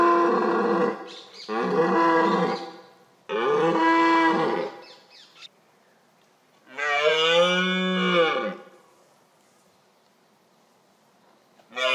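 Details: Rutting red deer stag in October gives three rough, drawn-out roars close together, then a pause and a fourth, rising-then-falling bellow, with another roar beginning at the very end.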